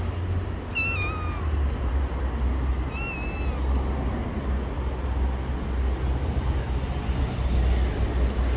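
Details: Gray stray cat, blind in one eye, living on the street, gives two falling, drawn-out meows about two seconds apart near the start, then stays quiet over a constant low rumble of road traffic.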